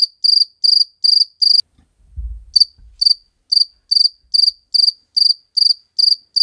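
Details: Cricket filmed in slow motion to show how it makes its sound: sharp, high, pulsed chirps about two or three per second, broken by a brief pause with a low thump before the chirping resumes.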